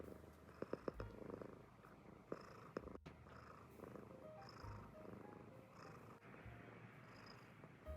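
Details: An American Shorthair cat purrs with a steady, low rumbling vibration while relaxed with and depending on its family.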